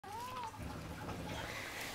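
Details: Alie, a pet cat playing with a toy and talking back, gives one short rising-then-falling meow of about half a second at the start, followed by quiet indoor room noise.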